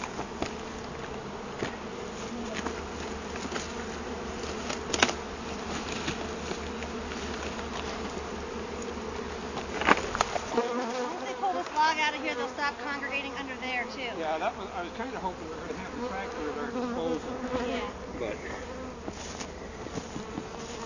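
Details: Honey bees from a hive found in a felled tree, being rehoused with their queen. Steady swarm buzz, with a low background drone cutting out midway, then passing bees' wavering whines sweep up and down over scattered taps.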